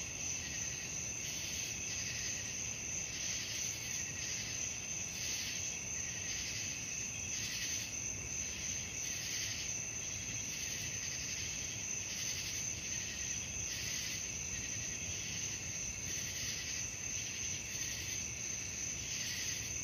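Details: Crickets at night, a steady high shrill chorus with a continuous band and pulsing trills of roughly three beats per second, over soft low rumble.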